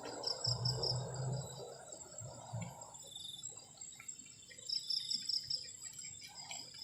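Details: Night crickets, heard on a cold evening from a garden shelter near the forest, give a constant shrill tone and two short bursts of rapid chirps, over a low rumbling noise early on.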